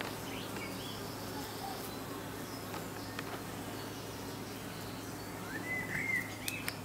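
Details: Fanning honey bees hum steadily at the hive entrance in the evening; a rising whistled bird call and quick chirps sound near the end.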